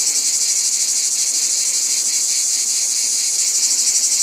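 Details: Chorus of cicadas droning shrilly and without a break, the high hiss wavering in quick, uneven throbs, with a softer grating band below it; nothing else is heard.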